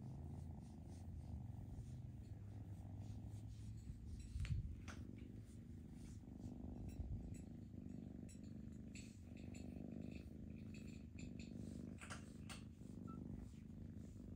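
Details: Sustained low purring from foster kittens held indoors, with scattered clicks, rustles and a brief bump of handling noise partway through.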